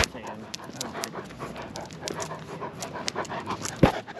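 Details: Great Pyrenees named Lucia on a night walk alongside Timmy, a Goldendoodle; steady rhythmic breathy panting runs throughout, with soft footsteps and a sharp click near the end.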